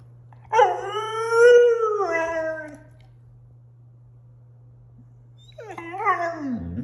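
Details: Six-month-old female German Shorthaired Pointer puppy howling back after being told no while wanting to go outside; a long harmonic howl rising then falling, silence, then a second shorter descending howl, with a steady low hum underneath.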